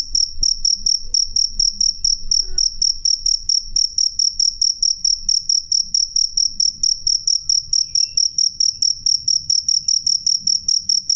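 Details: Cricket with a loud, clear voice: a high, pure-toned chirp pulsing steadily about two to three times per second throughout, with faint low rumble underneath.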